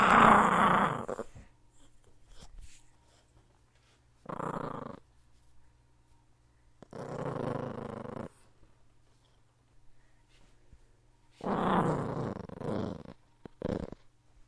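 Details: Repeated rough dog growls in a small room, five bursts of uneven length spread across the recording with quiet gaps and faint clicks between them.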